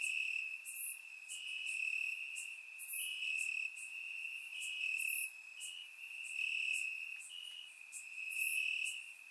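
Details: Night chorus of crickets in the grass, Bulgaria, on a warm summer night: a continuous shrill ringing tone overlaid with louder high bursts roughly every two seconds, rising and falling in volume.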